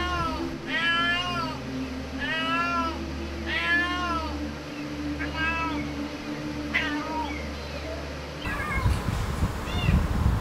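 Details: Small domestic kitten trapped in a narrow gap beside a red pillar, crying louder as rescuers approach; harmonic, arched meows repeated roughly every second over a steady low hum, ending in rustling handling noise.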